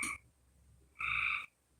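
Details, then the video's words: Many frogs calling outside on a Tuesday night, heard indoors: a brief harmonic note, then after a pause a louder, half-second buzzy call with a steady, rich tone, over a quiet background. "it turns green when you pour it over sugar that's a frog there's many frogs like i'm surprised you can hear them they're outside"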